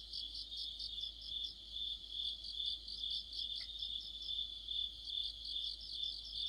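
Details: Insect orchestra of crickets in the middle of autumn by a street lamp: high continuous ringing plus quick rhythmic chirps about twice a second, one brief faint click partway through.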